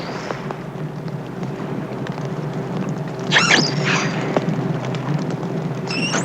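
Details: An isolated young female dolphin calls at night, about 4 miles from a ship that receives her by radio, with brief high whistles, one buzzy and sweeping, another clear and steady, over hissing underwater noise.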